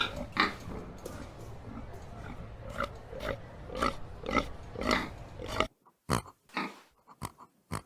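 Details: Pig grunting in rough, nasal bursts over a noisy background, a few louder squealing notes, then a sudden quiet end with sparse, sharp grunts.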